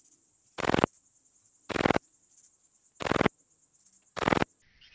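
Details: Pachytrachis gracilis, the graceful bush-cricket, recorded on 30 July 2023 at Vela Ucka in Croatia using a Pettersson D 100 ultrasound detector: four crisp rasping chirps roughly every 1.2 seconds, with a faint high hiss between them.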